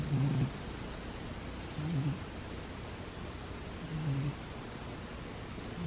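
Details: Butters the cat snoring while asleep: soft, low, rumbling breaths in short bursts, roughly every two seconds, over a steady quiet background hiss.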